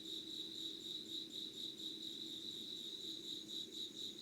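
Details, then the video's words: Insects trilling before sunrise, 05:00 on 25 August 2019, in Yugawara, Kanagawa, Japan; a bright, rapidly pulsing high-pitched ring, slightly wavering in loudness, sits over a quiet low hum. "Sounds of insects with candle light.☆ろうそくの灯りと虫の声"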